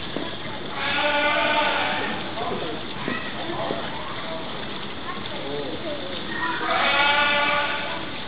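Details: South American sea lion cub during a performance at Edogawa Zoo, giving two loud, drawn-out, bleating calls, one near the start and one near the end, over constant crowd chatter and children's voices.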